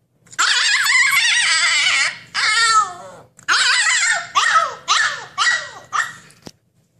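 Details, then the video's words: Husky puppy eager to escape its cage, crying loudly with long wavering whines, then a string of four or five shorter yelping cries, each sliding down in pitch, ending in a sharp click. "Husky puppy wants to break out of his cage"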